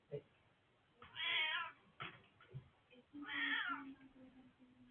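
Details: Old tomcat's voice recorded 20 March 2024: two strained, harmonic meows a couple of seconds apart, interspersed with brief clicks and thumps and a low steady hum after the second call.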